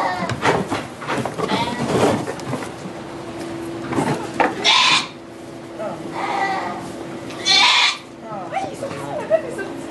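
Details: During a goat's delivery of two kids in a Quebec sugar shack, recorded with an iPod Touch, brief strained bleats break through lively French commentary as the newborn emerges.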